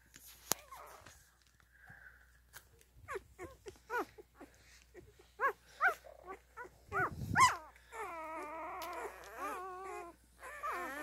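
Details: Newborn Standard Poodle puppies nursing give thin, high squeaks and wavering whimpers in quick, uneven bursts.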